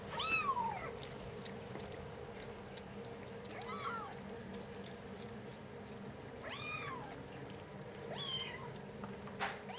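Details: Kittens aged five weeks, recorded 7 March 2010, letting out softer, thinner mews, four bending calls spread over ten seconds amid quiet room hum and light tapping sounds.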